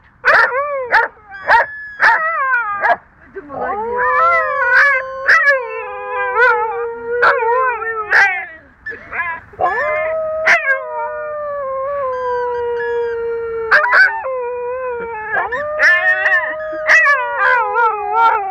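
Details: Domestic dogs howling along as if singing, several voices in long wavering tones that rise and fall, overlapping into a sustained chorus, broken by short sharp yips and clicks; people speaking Russian and praising them.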